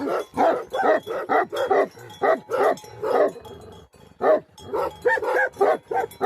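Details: Livestock-guarding Tibetan Mastiffs, called Bhote Kukur, in Himalayan Nepal. Bursts of gruff, resonant barks are broken by short silences near the middle, then a renewed run of quick, slightly higher barks at the end.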